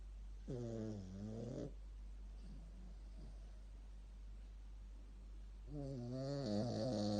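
A sleeping Shih Tzu gives two drawn-out snores, each a buzzy, wavering rasp that dips and rises in pitch. Between them come softer snuffling breaths, with a faint steady hum in the background.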